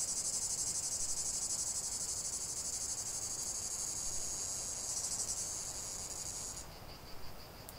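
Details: Cicadas in chorus, a relaxing nature recording: a dense, high-pitched buzzing drone pulsing rapidly and steadily, then cutting off abruptly near the end, leaving a fainter, thinner buzz.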